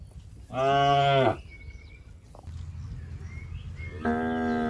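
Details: Grazing tame cattle in a rice field; one strong short moo near the start, then a quieter stretch with a low hum before a second, softer moo begins at the end.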